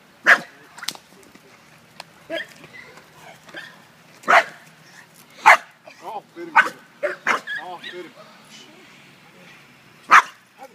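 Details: American Bulldog named Toxic on guard, giving about seven loud, sharp barks at uneven intervals, with a person talking in the gaps between them.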